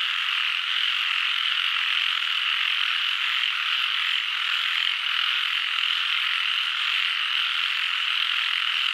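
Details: Numerous frogs calling at once, a thick, steady blanket of shrill trilling sound that never stops, nothing else audible.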